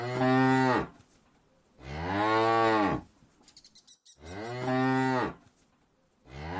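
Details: A herd of hundreds of cows is driven toward green fields, mooing in long, deep, drawn-out calls one after another with short pauses between.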